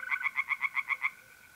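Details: Tree frog at a pond by night in mid-April, North-East Italy: a quick run of eight harsh, pulsed croaks in about one second, then a mole cricket's thin steady trill continues alone.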